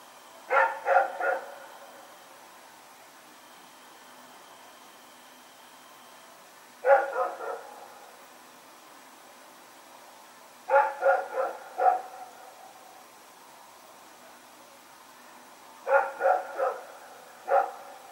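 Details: Rex, a dog, running around and barking at night, recorded September 21, 2018: short bursts of three or four sharp barks every few seconds over a steady low hum.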